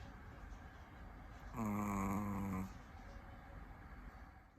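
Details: A Chihuahua asleep gives a single drawn-out, buzzy, harmonic snore lasting about a second, with soft background noise before and after.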